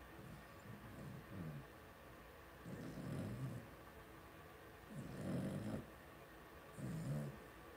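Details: Blenheim Cavalier King Charles Spaniel puppies, two weeks old, in a litter of five from Paris and Spike, make rough, breathy grunting bursts in their pen. Each burst lasts about a second and the bursts repeat at irregular intervals.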